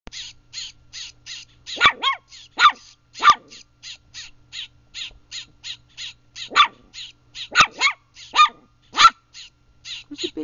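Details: Young Chihuahua puppy facing off with an abandoned baby bird. Short, sharp yips with falling pitch come in small bursts, set against a steady run of rapid high chirps from the bird.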